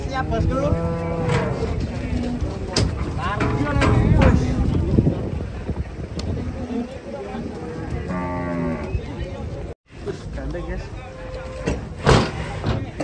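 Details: Big cattle unloaded from a truck, panicky: strained, wavering moos open the stretch and return after a noisy middle, mixed with heavy thuds, clanks and a brief dropout, over constant low rumble.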